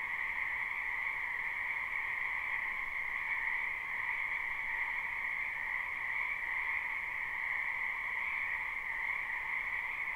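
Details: Croaking frogs in a spring wetland, a live recording without loops: a dense massed chorus sounds as an unbroken, pulsing trill on two even tones, uniform from start to finish, with no other sounds.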